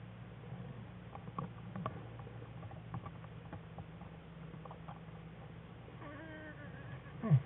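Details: Wild American black bear Jewel curled up in the den with her cubs Fern and Herbie on February 21, 2013, as the cubs begin playing; soft patter and shuffling, then a short wavering, harmonic cry rising and falling near the end.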